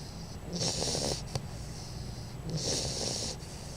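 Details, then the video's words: Einstein the baby bulldog, a female, snores in her sleep; two long hissing, raspy inhalations about two seconds apart, softer wheezy breaths between, quiet room hum beneath. "baby bulldog snoring"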